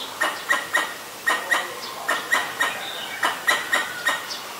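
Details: Alarm calls of a Pallas's squirrel sounding danger, Ubon Ratchathani, Thailand, 1 January 2023, Nikon P1000: loud, clipped, harsh chucks, often paired, repeated steadily about three times a second, with faint bird notes behind.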